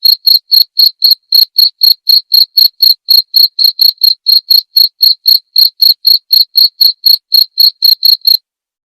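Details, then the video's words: Cricket chirping, a clear tutor recording meant for training white-rumped shamas (murai batu) to copy, played nightly: sharp high-pitched pulses repeated steadily about four times a second, no other sounds. "masteran suara jangkrik jernih!"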